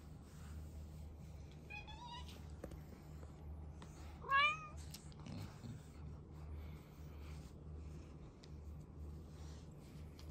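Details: Chloe (Kuroe), a female rescue cat trapped as a kitten, shy of humans and born with a heart defect, meows indoors after six years as a house-feral cat: a thin rising-falling mew, then a louder drawn-out cry, over steady low hum.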